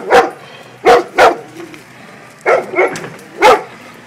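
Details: Golden Retriever barking at an excavator: six short, loud barks in two bursts, three quick barks in the first 1.3 seconds, a pause, then three more between 2.5 and 3.5 seconds, with a low steady hum between them.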